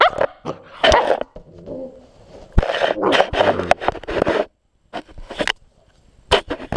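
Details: Belle, a puppy, playing with a GoPro camera: short yappy barks and growly bursts break out between bumps, scrapes and close handling noise, with brief quiet gaps.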